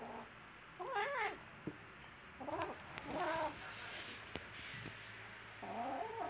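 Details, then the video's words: Little kittens at play and scuffling together, mewing in short, quavering, harmonic-rich cries, three bursts close together then a final drawn-out meow, with light thumps and rustles between. "Cutest little kittens playing with each other are adorable"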